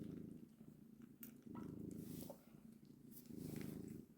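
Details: Mother cat with her kittens, purring a deep, continuous rumble that swells and fades with each breath, close and loud.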